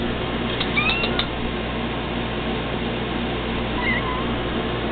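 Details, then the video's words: Pet cats Sprite and Cody answering when called with two brief meows, one early and one near the end, over a constant low hum and hiss. "Sprite and Cody meowing!"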